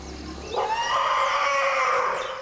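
A high, tonal cry from a newborn forest elephant calf rises in with a wavering, harmonic-rich quality and holds for about two seconds. Such a particularly high cry marks the caller as a very young calf.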